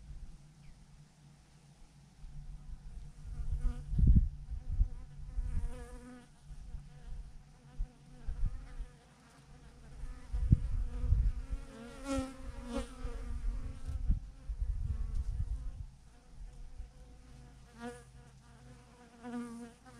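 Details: Thousands of bees hang in a massive clump on a branch, their swarm producing a steady droning hum with shifting, wavering overtones, while low thumping gusts and handling rumbles rise and fall throughout.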